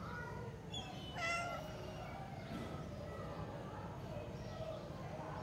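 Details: Domestic cat giving a couple of short, rising then falling meows around the one-second mark, set against people talking and a steady low background rumble.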